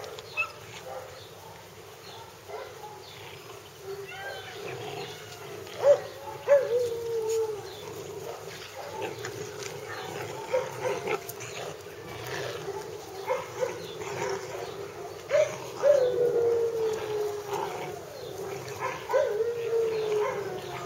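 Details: Hungarian Vizsla puppies whining, with several long, thin tones that slide gently downward around 6 and 15 to 17 seconds. Scattered clicks, shuffling and soft background clatter run between them.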